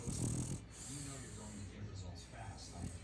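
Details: A female French bulldog lying upside down gives low, rumbling growls mixed with snorty, gravelly grunts.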